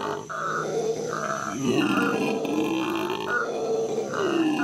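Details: Captive howler monkeys howling at the Los Angeles Zoo in May 2014: loud, throaty grunting roars with stacked harmonic bands, broken into short bursts that rise and fall across nearly five seconds, with a steady background hum.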